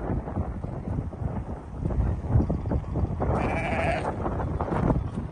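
A sheep lets out a short, quavering bleat that stands out near the end. Steady low rumble, like wind or handling noise, fills the rest of the recording.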